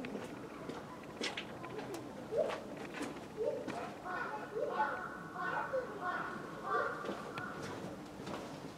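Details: A white-handed (lar) gibbon at Tama Zoo in Japan, filmed February 2020, gives a series of hooting notes that rise in pitch, with people's voices faintly behind.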